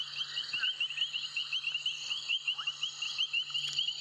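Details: Painted reed frogs played back from a recording made at Sabi Sand, calling non-stop and very loud in a chorus with bubbling kassinas. Dense, very high-pitched squeaks repeat rapidly, with a few lower rising popping notes and a steady low hum.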